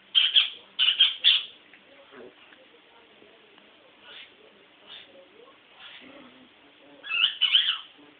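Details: Toy Poodle named Sugar, a female in heat, wanting her stud; bursts of high, squeaky whining cries in clustered groups of three, then near-quiet stretches with faint murmurs before another pair of whines.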